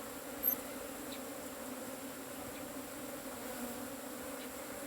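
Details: Asian honey bees buzzing at a cavity hive while it is harvested: a steady, even hum with a low drone and a higher overtone, and a brief sharp click near the start.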